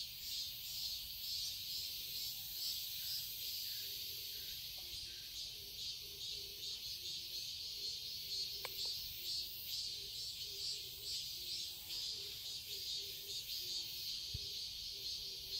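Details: A summer chorus of cicadas in a garden in Seoul, Korea: a constant high, grating buzz with rhythmic pulsing, accompanied by soft, low repeated short notes and occasional sharp clicks.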